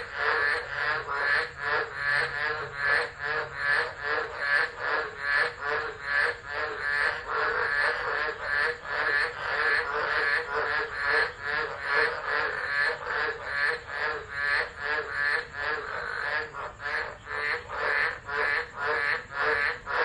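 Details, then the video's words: Tropical frogs calling together during a tropical storm in December 2013 at Driver, Northern Territory, Australia, recorded on a phone camera left unattended; a dense, steady chorus of rapid pulsed croaks with rhythmic swells in loudness throughout. "Tropical Storm Frogs Singing"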